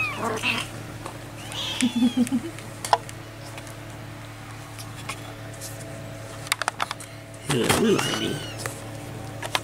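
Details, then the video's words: Four-and-a-half-week-old barn kittens sheltering in a shed with their farm cat mother. A brief cluster of thin mews comes early, then a louder, wavering cry later. Quail calls and steady background hum are also heard. "Second Generation Barn Kittens"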